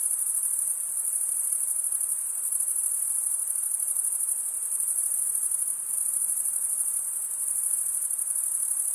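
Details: Crickets in an unbroken, high-pitched, shimmering trill that holds steady and dense throughout, with a faint rapid pulsing and only a soft hiss beneath; no other animals or voices.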